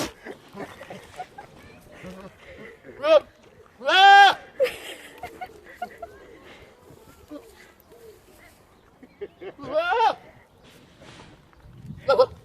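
A goat gives loud, wavering, strained bleats amid background chatter and a person's exclamation.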